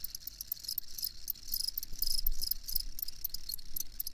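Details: Crickets heard for sleep: steady high, rapidly pulsed chirping repeated throughout, set against a noticeable low rumbling background.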